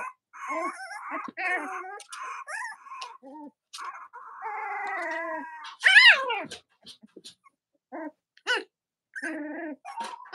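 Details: Cavalier King Charles Spaniel puppies of Robin and Myra on a live stream, chilly Monday morning near Halloween in the US, whining in bursts of high harmonic squeals, one loud downward-sweeping squeal midway, then shorter broken yelps.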